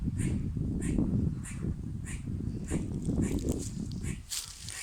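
A squirrel gives short, sharp chucking calls, repeated about every half second over a low rumble.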